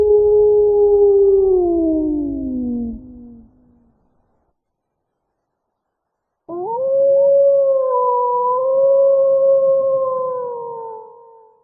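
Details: Wolf howls: a first call sliding downward and dying away, a few seconds of silence, then a second howl that rises sharply and is sustained for about five seconds before tapering off.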